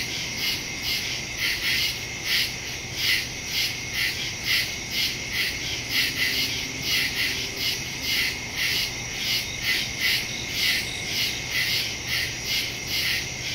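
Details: Crickets chirping in the woods at night, recorded on September 2, 2023 with a phone and stereo microphone; dense high pulsing chorus, bright bursts repeating about every half second, a steady high whine beneath, no other clear sounds.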